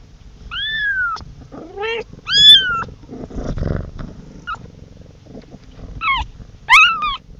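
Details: A kitten calls for its mother in short, falling meows separated by quieter stretches, with a soft low rumbling murmur in the middle and two sharper high cries near the end.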